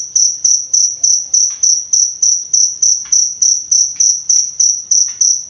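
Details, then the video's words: Cricket recording used to master and calm songbirds: rapid, regular high chirps about three a second, clear and loud throughout, with a few short soft clicks in the background. "Suara Jangkrik Untuk Pemasteran Dan Terapi Burung Kicau"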